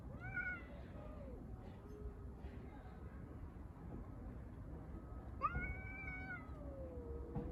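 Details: Street cats fighting over a litter box: a drawn, wavering meow at the start and another rising-then-falling meow near the end, with quieter calls between, over a steady low rumbling background noise.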